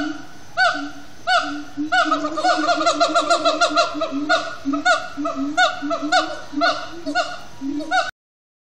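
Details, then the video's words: Siamang gibbons chanting at sundown at Disney's Animal Kingdom: a few spaced barks accelerate into a fast, overlapping flurry of falling calls over continuous low hooting, then settle back to slower barks before stopping abruptly. "Siamang gibbons at Sundown"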